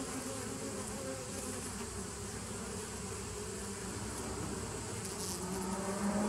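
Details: Bees of a 2017 nuc colony, recorded 27 September 2018: a dense, steady droning hum with layered low tones, swelling slightly louder toward the end, where a brief higher tone appears.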